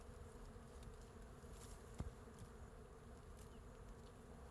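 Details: Wild honey bees swarming over their large hive on a forest tree branch produce an unbroken deep drone; one sharp tap near the middle, otherwise even humming with light high hiss.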